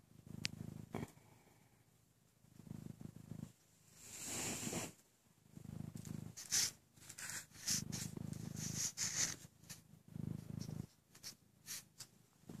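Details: Maine Coon cat about 11 months old, indoors, suckling on a blanket after being separated from its mother before five weeks old; soft low rumbling purr bursts recur every second or two, mixed with faint clicking and rustling.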